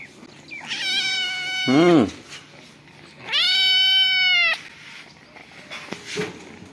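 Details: Cat with kittens calling indoors: two drawn-out, evenly pitched meows about two seconds apart; the first ends in a brief lower, rougher sound, and a faint click follows near the end.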